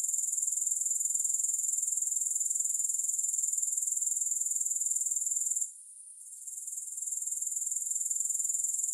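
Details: Grasshoppers give a thin, high, evenly pulsing trill for over five seconds, then a short quiet gap, then a gradual return to the full steady chirr. No music or other sounds.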